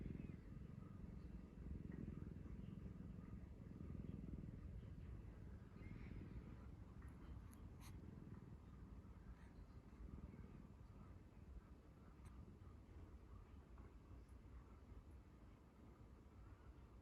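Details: Chii, a pet cat picked up years ago, dozing on a lap and snoring, stroked as it sleeps; a soft, continuous low rumble with rhythmic pulsing fades gradually, with brief sharp rustles of a phone being moved.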